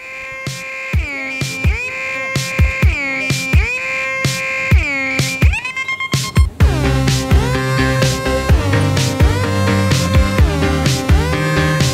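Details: Electronic music with heavy bass and pulsing synthesizer tones, no animal sounds.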